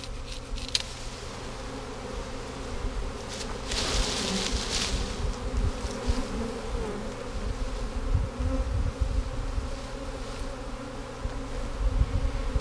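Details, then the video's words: Honey bees of a swarm being caught and boxed in 2017 drone in a continuous thick hum, with a burst of brighter rustling noise around the fourth second and light knocks throughout. "catching Honey Bee Swarm number 3 2017"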